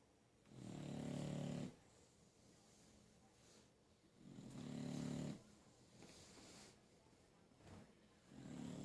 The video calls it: English Bulldog snoring